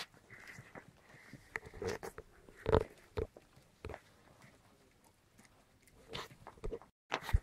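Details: White German Spitz (Großspitz) puppies at seven weeks old wrestle during indoor play. A drawn-out whiny growl rises in the first two seconds, then scattered snuffles, chewing and thumps follow, with quiet gaps and faint German speech.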